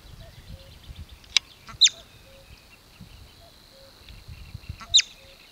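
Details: A steppe marmot (bobak) near Velyka Shapkivka village in Kupiansk district, Kharkiv region, Ukraine, gives sharp, piercing alarm whistles a few seconds apart, signalling danger.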